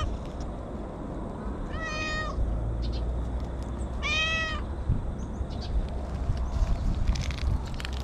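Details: Free-roaming stray cat speaking from the undergrowth, pleased to be petted, captured on a GoPro: two clear, drawn-out meows about two seconds apart, the second slightly longer, with low rumbling handling noise and rustles.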